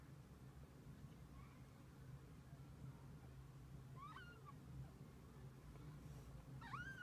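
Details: Kittens and their mother cat spending the day together: a few faint, short meows rise and fall near the end over a steady low hum.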